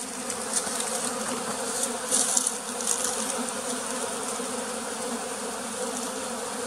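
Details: Bees buzzing at a farm in the West Tonle Sap Lake flooded forest, Cambodia: a dense, even hum with several brief, sharper buzzy surges as bees pass close.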